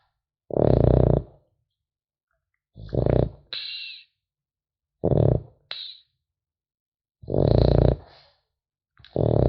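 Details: Snoring French Bulldog puppy in deep sleep, rasping rattly inhales followed by short whistling, hissy exhales, about five breaths at irregular two-second intervals in a quiet room.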